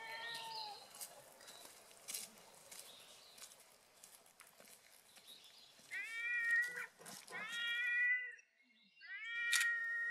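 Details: A cat cries in a cute voice, three clear, bright meows, each swelling then sliding down, arriving in the second half after a stretch of clattering and scraping background noise.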